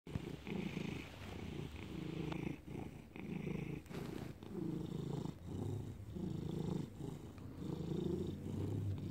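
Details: Felix, a domestic cat, purring in May 2019: a low, steady rumbling purr in rhythmic pulses, each breath cycle lasting about a second, with brief quieter gaps between pulses in a quiet indoor setting.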